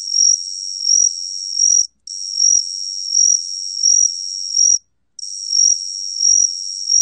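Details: Korean gaksi cricket (각시귀뚜라미), National Institute of Biological Resources recording: steady high-pitched ringing trill with rhythmic surges in loudness, interrupted twice by short pauses.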